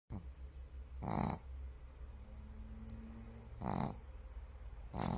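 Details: A white pug snoring while asleep: three soft, breathy, rasping snores about a second and a half to two and a half seconds apart over a low steady hum, with a faint whine between them.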